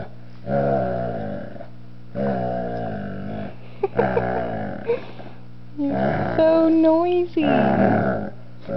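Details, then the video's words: Two-year-old, 125-pound Doberman Pinscher Alyuss grunting while almost four-month-old puppy Nerria pesters him indoors: a run of low, rough, voiced grunts in bursts, then a higher wavering whine near the end, steady electrical hum behind. "Nerria making Alyuss grunt (Doberman Pinscher)"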